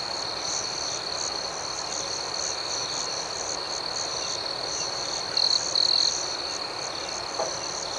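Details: Nighttime chorus of crickets, one continuous shrill trill overlaid by quick rhythmic chirps of about four per second, with two brief louder bursts of the trill near the end and a low noise bed.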